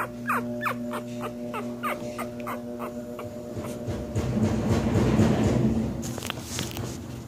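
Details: One-week-old Cocker Spaniel puppies give a quick string of thin, high squeaks, each sliding downward, about four per second, then a rustling, rushing swell of noise over a steady low hum.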